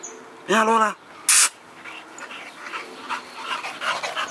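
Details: Olde English Bulldogge giving one short, harmonic whining yelp that arches up and falls back, followed by a sharp noisy burst, then faint human voices and light background clatter.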